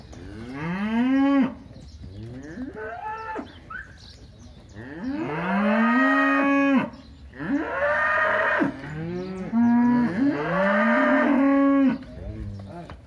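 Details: Crossbred heifers offered for sale near São José do Rio Preto, São Paulo, Brazil, mooing repeatedly: several long, loud, rich harmonic moos, some rising then falling, overlapping calls from more than one animal across the stretch.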